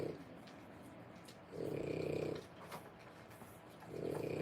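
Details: Three-week-old French Bulldog puppies, born 1/10/25: throaty, fluttering snores lasting under a second, returning about every two and a half seconds, one brief tick in between, quiet indoors.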